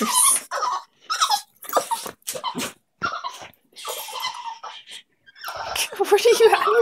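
A dog gives high, squeaky whines and yips, oddly dolphin-like, while people talk over it.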